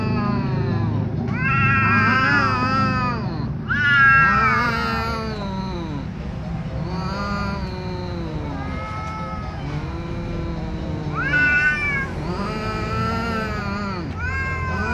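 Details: Ginger cat cornered by a tomcat: long, wavering yowls rise and fall in drawn-out harmonic moans, about five or six separate wails over fifteen seconds, some swelling louder, with low rumbling background noise throughout.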